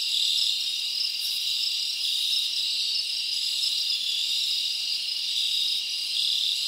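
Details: Summer forest at night filled with cricket chirping: a continuous high trilling drone with regular beating pulses and brief brighter clicks, steady in level.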